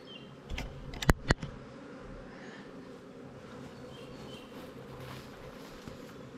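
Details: Honey bees in a queen-right split hive, 20 days after the queen and four frames moved to a new hive, now crowded and drawing comb on honey supers; steady low hum with a rich overtone, broken early by two sharp knocks.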